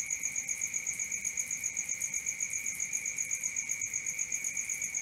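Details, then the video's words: Nighttime crickets produce a dense, shrill, steadily pulsing trill on high tones, unchanging over the few seconds heard. "Cricket 1 hour for Sleeping & Relaxation"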